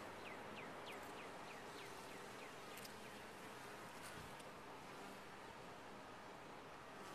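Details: Honey bees humming inside a top-bar hive: a dense, steady drone with no breaks, and a few faint, quick descending chirps over it in the first three seconds.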